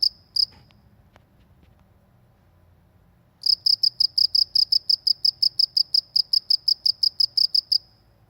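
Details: Cricket in a rural village gives two shrill chirps, goes quiet for about three seconds, then resumes a steady, fast train of high ringing pulses for several seconds before stopping.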